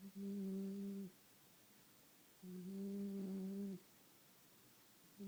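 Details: Staffordshire Bull Terrier puppy asleep and snoring: a low, steady, humming tone that lasts about a second per breath, repeating roughly every two and a half seconds, with quiet pauses between in an otherwise still room.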